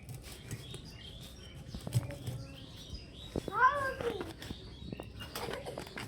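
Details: Hungry cat being given fish to eat, giving one short arching meow that rises then falls midway through, surrounded by clicks, clatter and low room noise.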